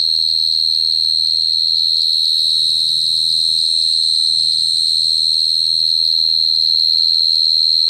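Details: Cricket singing a continuous, steady high-pitched trill with a fine pulsing texture and no breaks, a faint higher overtone above it and a soft low hum underneath.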